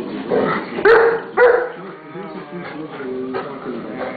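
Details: Pit Bull named Bonnie correcting Zeus the mastiff pup: three strong, harsh barks about half a second apart, then softer, scattered woofs over background music and talking.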